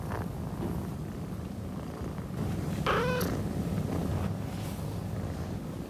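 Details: Male orange tabby kitten purring and moaning: a low continuous rumble under a short, rising-then-falling nasal moan near the middle, after which the purring grows slightly louder.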